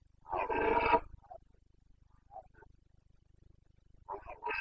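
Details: During the 29 September 2022 rut in Bucovina, a Carpathian stag gives one loud rasping roar, then faint distant grunts, and another harsh roar builds at the end.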